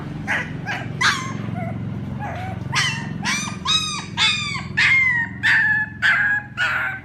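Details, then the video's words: Crying puppies calling for their mother: scattered thin squeaks build into loud, drawn-out wailing whines, each sliding downward and lasting about half a second, over a faint low hum. "Sounds Puppies call their mother ||Puppy crying sound"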